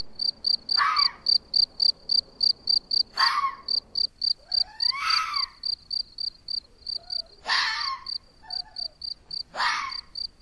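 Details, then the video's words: Red fox in Portugal, filmed by trail camera, barking nearby while another fox forages: five hoarse, harmonic barks spaced about two seconds apart over a steady, rapidly pulsing high cricket chirp. "Red Fox Sounds | Raposa vermelha | Som Vulpes vulpes"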